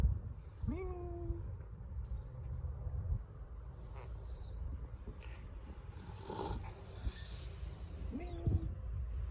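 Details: Stray female cat with the flu, feeling unwell: two short tonal meows, at the start and near the end, over a steady low purring rumble, with faint rustling in between.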